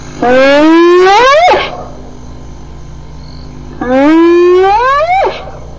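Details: Two loud hyena whoops about two and a half seconds apart. Each rises smoothly in pitch over more than a second, then cuts off abruptly, with a faint hum between calls.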